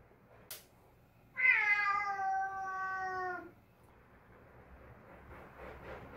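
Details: A pet cat gives one sustained, slightly falling meow of about two seconds indoors, followed by quiet rustling and faint background sound.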